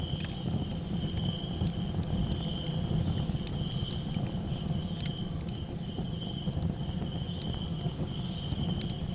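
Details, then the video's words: Cricket calls at night, a sustained shrill trill without pauses, accompanied by a loud low rumble and scattered crisp crackles from a campfire. "Soothing Night Sound - Campfire Crackles 🔥 & Cricket Calls for sleep"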